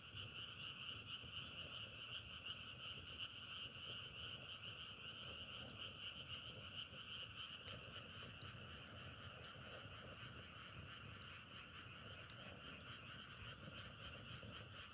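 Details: A continuous frog chorus hums on two steady pitch bands with a slightly pulsing texture, while sharp dry clicks and crackles dot the background throughout.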